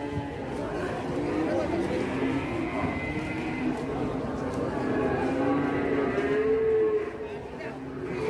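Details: Aggressive cattle in Indonesia, lowing with long, drawn-out, harmonic moos that waver in pitch, while people talk in the background.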